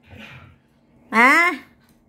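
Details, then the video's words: Tucker, a dog playing with another dog named Coco, lets out one loud, short, strongly tonal bark-whine that rises in pitch for about half a second, after a moment of soft human speech. "lakas ng boses ni Tucker"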